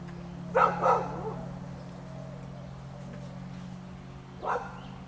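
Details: Six-week-old sable male German shepherd puppy undergoing Volhard puppy testing gives two quick barks in close succession, then a single bark about four seconds later, against a constant low electrical hum.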